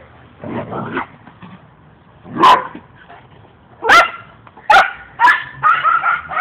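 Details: Pair of dogs playing; a few scattered barks give way to a quick run of higher, yipping barks with tonal, slightly whining edges toward the end, faint scuffling between.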